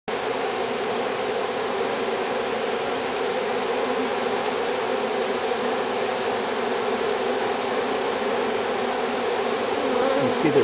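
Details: On April 10, 2007, a honey bee swarm moves into a new hive; with most bees inside, many at the entrance fan their wings in a steady, dense hum, signalling the others to come in.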